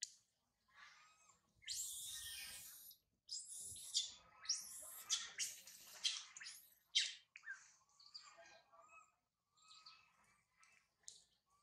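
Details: Young monkey Sario left alone up a tall tree after mother Sarah departed, crying loudly: a long series of harsh, very high screeching squeals in rapid bursts, fading into fainter whimpering notes.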